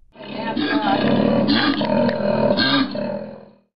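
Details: Koala bellowing: a deep, rough, snoring grunt repeated in pulsing waves with rasping, growl-like swells, continuous for over three seconds.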